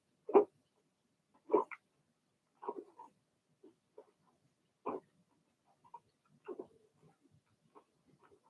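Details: Cavalier King Charles Spaniel puppies, Remy's Blenheim litter, bark in the puppy pen: a few loud yaps at the start, then softer scattered yelps and whimpers fading out in a quiet room.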